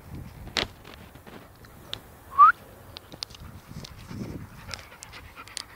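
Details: Alsatian heard in a quiet room: one brief, high, rising whine stands out, surrounded by soft breathing, faint clicks and small shuffling noises.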